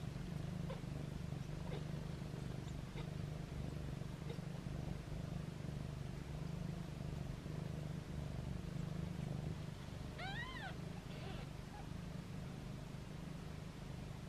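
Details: Foster kittens with their mother, meowing playfully while held in hands; a single high, arched kitten mew near the end, over a steady low hum.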